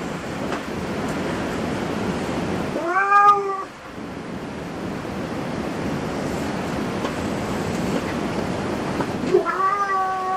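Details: Cat in a cat cafe with two clear meows, one at the start of the clip, the other near the end. The long gap between them is filled by a constant broadband hiss of room noise.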